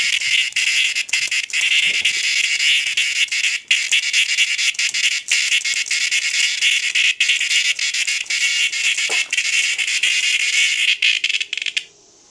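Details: A large cicada found on a porch screams after being poked with a stick: a loud, continuous harsh buzzing rasp, steady and unbroken for about twelve seconds, cutting off abruptly at the end.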